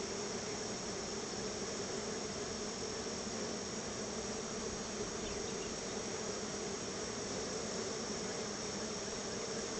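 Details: Honey bees gathered around their hive, fed honey a little at a time as thanks; a dense wall of buzzing with a steady low hum and no breaks.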